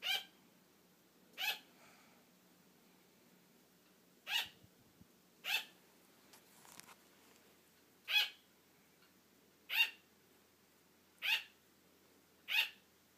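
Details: Attention-seeking barks from a pet female sugar glider who wants play to continue as her owner dozes off; eight short, sharp yaps at uneven intervals with a faint rustle in the middle.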